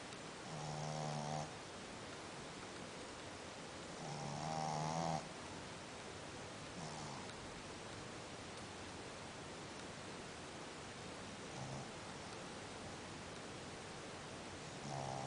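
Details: Dog snoring in its sleep, with rough buzzy snores in uneven bursts, some loud and some faint, separated by quieter breathing, against constant background hiss.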